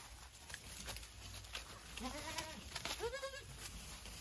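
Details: Savanna goat buck kept for breeding, giving two wavering, nasal bleats, the second louder and higher, against a steady background hiss and faint clatter.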